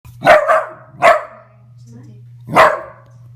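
A Dachshund sneezes, giving three short, slowed, throaty bursts over a steady low hum.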